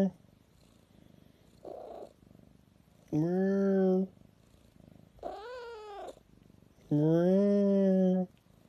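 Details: Pet cat giving three long, steady, rich-toned meows roughly two seconds apart, each lasting about a second, preceded by a faint, brief, breathy sound in a quiet room.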